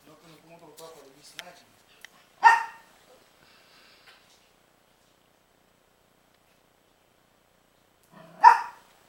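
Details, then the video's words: Princess, a pet dog, barking at Rocky, a baby pitbull puppy, recorded 12-08-09: a human voice murmurs briefly, then a single sharp loud bark, a long silence, and a second identical bark near the end. "Princess Barking At Rocky"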